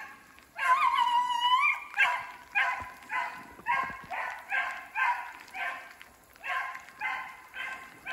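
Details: Beagle pack of two siblings hunting a snowshoe hare in snowy woodland during sleet and rain; one long wavering howl followed by a steady run of baying barks about twice per second, each a harsh harmonic yelp.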